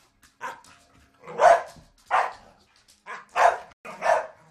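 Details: Staffordshire Bull Terriers play fighting at home: five loud, rough barks and growling yaps in uneven bursts, roughly every second, with short quiet gaps between them.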